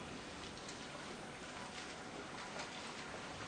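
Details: Steady, even broadband hiss like rain falling outdoors; no animal sound is heard.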